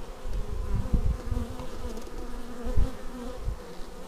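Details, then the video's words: Hive entrance with bees arriving, recorded on a Xiaomi Yi action camera: continuous layered buzzing with pitch drifting as individuals fly by, plus soft low bumps and a louder swell near the end. "Bees arriving at hive"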